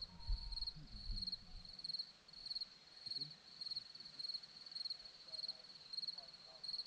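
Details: Crickets on a hillside near Zorlesti, Romania: high pulsed chirp bursts repeating at a steady rhythm, with a brief low murmur of voices or rustling at the start.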